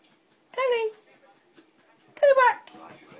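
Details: A female collie gives two brief, tonal howls, each sliding downward in pitch, singing along to her favourite tune.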